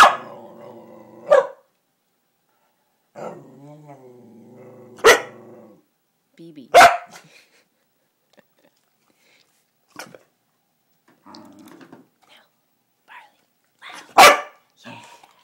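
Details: Indoors, cow dogs barking on command for shrimp cat treats: a few loud single barks spread across the clip, interleaved with a person's spoken commands and quiet pauses.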